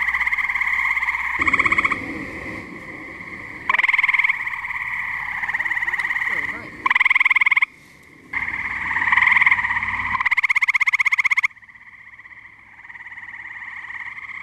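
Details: Tree frogs chorusing at a New Jersey pond on a muggy night: a constant droning chorus broken by loud pulsed trills lasting one to two seconds, recurring every couple of seconds, with a few soft low rustles.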